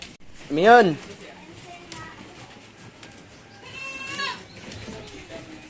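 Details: F1 Anglo-Nubian goat on a farm in Guin-ob, San Carlos City, Negros Occidental, Philippines: a loud, wavering bleat rising and falling near the start, then a fainter, quavering bleat around four seconds, with light background noise.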